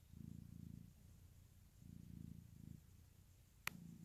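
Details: Domestic cat purring indoors beside a snoring newborn: low rumbling bursts in rhythmic waves, about two long pulses per second of steady purr, with a brief sharp click near the end.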